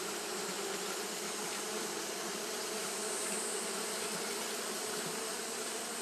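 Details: Japanese honey bees fanning in the heat, heard as a continuous, dense buzzing hum from a crowd of bees, even in level, with a strong low band and soft hiss on top.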